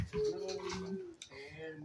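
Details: Blacky, a house dog angry that he cannot have the bone, lets out a steady, high nasal whine held for about a second, then a shorter second whine after a brief click, indoors.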